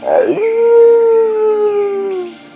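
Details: Basenji, the barkless Central African hunting dog whose unusually shaped larynx gives a yodel-like baroo instead of barking; a single clear, sustained tonal note after a brief rough onset, held level about two seconds, then fading slightly downward.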